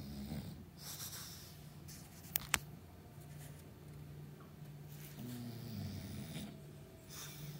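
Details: Sleeping English Bulldog resting on a cushion and chair, low rumbling snores that swell and waver, one stronger breath near the end, soft snuffles and two sharp clicks in a quiet room.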